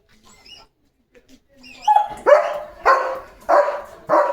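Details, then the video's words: German Shepherd dog barking at cattle: after soft sounds, four loud harsh barks come about every 0.6 seconds, rising in force. "German Shepherd भुंकतोय गुरांवर"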